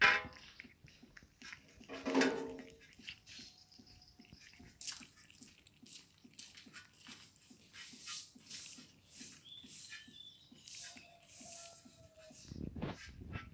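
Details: Hungry kittens in Morocco eating meat and wanting more. A short harmonic cry rises near two seconds, and a drawn-out, falling, thin cry follows near eleven seconds. Soft clicking chewing or lapping runs steadily underneath.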